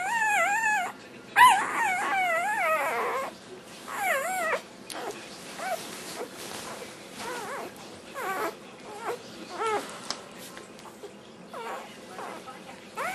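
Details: Black tri Australian Shepherd puppy singing over its dinner: a run of quick, warbling whines and yips, loud and wavy at first, then shorter and softer broken whimpers scattered through the rest.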